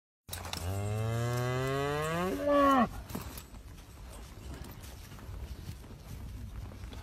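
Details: Cow being tagged while a horse protects the cowboy gives one long, loud moo. It rises steadily in pitch, then breaks off sharply after about two and a half seconds, leaving outdoor background noise.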